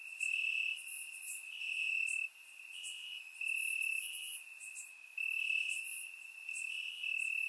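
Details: Warm summer night in Bulgaria, crickets chirping in grass, captured by a surround microphone: bright, even-pitched trilling in overlapping bursts, with a brief dip in loudness midway and high chirps above.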